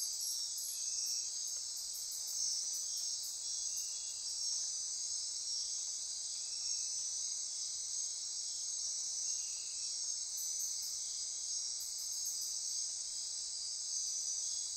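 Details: Insects calling after dark in Costa Rican rainforest near Corcovado, Osa Peninsula; unbroken high-pitched droning and trilling chorus, with short lower chirps near the start and intermittent clusters of very high pulsed ticking.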